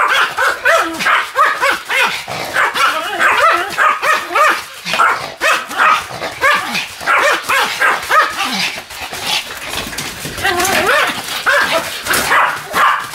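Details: Sam, a Pomeranian spinning fast on a new mat on 24 November 2015, yaps continuously: quick high barks at about one and a half per second, steady and insistent, with light background noise.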